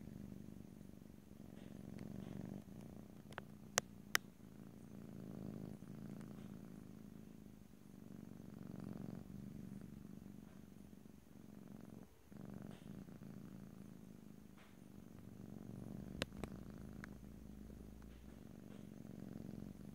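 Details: Domestic cat purring in close stereo recording, a steady low rumbling purr with slow swells in loudness and brief pauses, a few sharp clicks near four and sixteen seconds, no talking.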